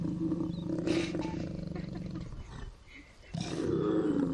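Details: African lion giving a deep, drawn-out rumbling roar with a steady low tone for about two and a half seconds, falling quiet briefly, then starting up again strongly.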